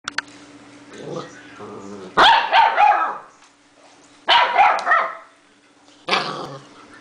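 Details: Six-week-old puppies barking: three loud, harsh bark bursts roughly two seconds apart, each breaking into several rough yelps, preceded by softer whining sounds, over a steady low electrical hum.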